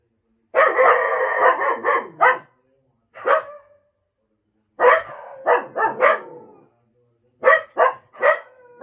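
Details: Two Cocker Spaniels, Mickey and Minnie, give a sustained harmonic howling cry lasting nearly two seconds, followed by clusters of short, clipped barks separated by brief silences, in a quiet indoor room.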